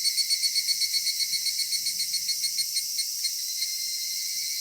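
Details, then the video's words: Cicadas at summer twilight in a cedar forest, a high ringing drone carrying rapid regular pulses, about four per second, that fade toward the end into a smooth steady hiss. "夏夕暮れ杉林 セミの鳴き声"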